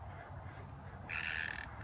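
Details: A frog calling from somewhere behind a house, recorded outdoors while someone walks back and forth filming. A single short, tonal, buzzy call sounds in the second half, over low rumbling handling noise.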